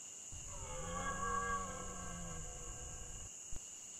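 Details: A red deer stag, lying down at nightfall, gives a deep, drawn-out rutting roar lasting about three seconds. It is the season's opening bellow, recorded in the Pyrenees between Ariège and Haute-Garonne, September–October 2021.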